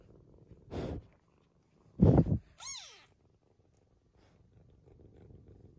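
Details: American Curl cat meeting an Australian Shepherd; two loud broadband rustles or bumps, then a single clear meow curving up and down in pitch, then near silence with soft background noise.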